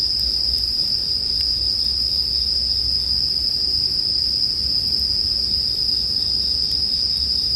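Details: A constant bright shimmer of bell cricket song sits at one steady pitch while a crackling fire ticks faintly a few times and a soft low murmur continues below.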